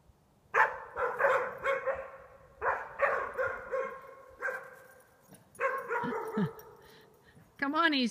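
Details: Pups Iskra and Rudj bark at window reflections. Bursts of rapid, ringing barks repeat in three groups, and a brief rising-then-falling whine or voice closes the recording.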